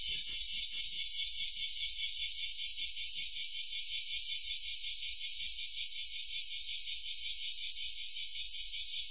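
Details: A bear cicada perched on a rose bush in a garden on 3 August 2012 sings a loud, harsh, high buzzing song that pulses steadily about two or three times a second.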